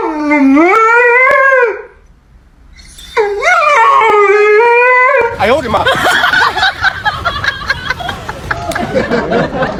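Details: Dog in a funny compilation of dogs dealing with food: two drawn-out whining howls that rise and fall in pitch, separated by a short pause, then rhythmic music with a beat takes over for the rest.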